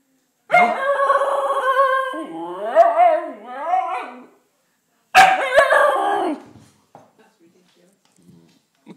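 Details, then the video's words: Siberian Husky pup, female, crying outside because she is not let into the house after rolling in mud; two long wavering whining howls with rich harmonics, rising and falling, separated by a short pause. "Husky pup crying cos i wont let the dirty dog in!!!"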